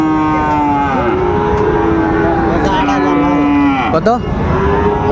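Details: Sahiwal bull calves at the Raniganj cattle market in Dinajpur on 27 March 2025, as trading begins. Several long, steady, deep moos overlap and drag on for seconds amid the market's background hum and a brief vehicle noise.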